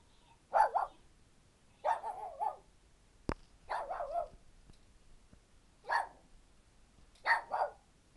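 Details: Two pet dogs barking together at home, five separate bursts of sharp, hoarse barks spaced about one to two seconds apart, some doubled, with a single sharp click between them and a quiet room otherwise.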